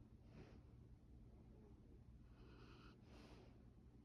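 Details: A sleeping Labrador Retriever puppy in deep sleep snores in soft, breathy snorts over a low, steady rumble.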